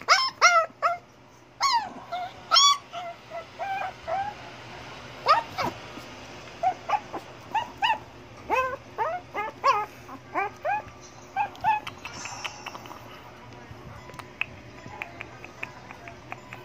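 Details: Liver Shih Tzu eager to be let out, whimpering in short plaintive bursts that come in clusters early on, then thin out into sparse single whines against a constant low electrical hum and light background noise.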